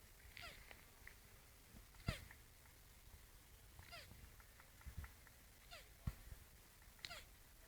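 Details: Two turtles mating: faint, short downward-sliding squeaks come about every one to two seconds, mixed with sharp knocking clicks and a low rumbling background.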